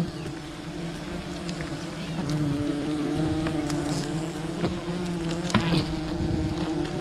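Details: Swarming buzz of a wild bee colony during a honey hunt, a rich steady drone that swells slightly in loudness after two seconds, with a few clicks and knocks.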